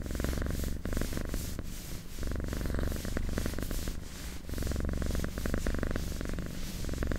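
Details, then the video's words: A pet cat purrs close up: low, throbbing rumble in repeated breath cycles of about one to two seconds, the pulses dense and even, with only faint rustle around it. "Purring Cat"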